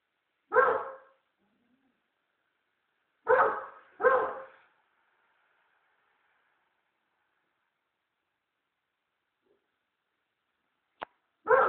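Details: American Staffordshire Terrier on guard at home, barking in spaced bursts: a single bark, a quick pair nearly three seconds later, then a long quiet gap, a brief click and a final bark.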